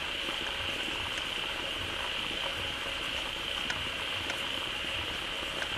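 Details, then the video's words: Many frogs gathered in a pond, calling loudly and joyfully as a waterfall begins flowing into it; a dense, steady chorus forms a continuous high trilling drone with many overlapping callers throughout. "เสียงฝูงกบร้องดีใจได้น้ำ Relaxing Sounds of Frogs"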